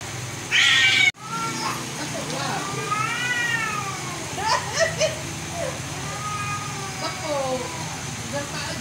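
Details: Cats fighting, with long wavering yowls rising and falling in pitch from about three seconds on, overlapping between two voices, after a sharp loud burst near the start; steady low hum and faint background noise throughout.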